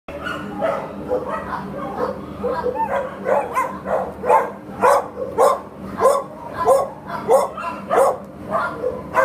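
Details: Labrador Retriever at a shelter, up for adoption, barks steadily, sharp repeated woofs about every half second with a constant background hum.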